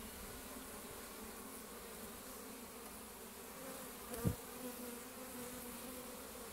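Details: Many honey bees returning loaded with pollen fill the air with a continuous low hum; one sharp thump breaks the even drone near the end.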